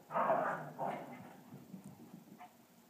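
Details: Two dogs, a purebred Cavalier King Charles Spaniel and a Cavalier–Lhasa mix, on their way to bed indoors: one short, tonal bark-like whine, then a weaker second yelp and quiet household background.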